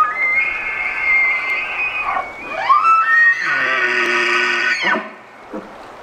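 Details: An elk near Estes Park gives long, high, whistled tones with a sliding rise between them.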